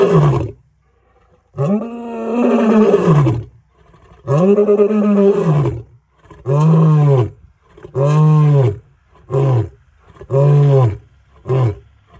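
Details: Male lion roaring extremely close up in the Sabi Sands: deep, heavy bass moans, the first long and drawn out, then a series of shorter grunting roars that shorten toward the end, with pauses between.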